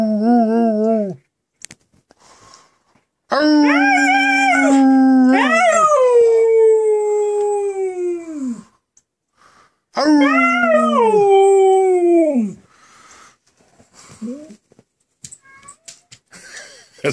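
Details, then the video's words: Dog howling along with its owner inside a home: two drawn-out howls several seconds long, each holding steady and then sliding downward, with quiet gaps and small faint sounds between them. "Bam singing with me."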